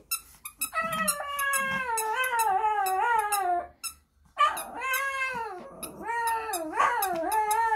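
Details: Sunny, a Shih Tzu puppy, howls along to the JYP song "I have a girl" indoors: two sustained, gliding, slightly quavering tones, the first sliding downward over three seconds, a brief silence, then a rising, wavering howl.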